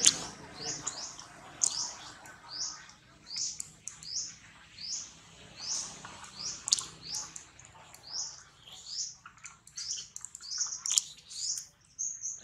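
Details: Being weaned off milk by mother Rose, baby monkey Rex gives a long run of piercing squeaks that rise and fall in arcs, roughly two per second, over faint background rustling.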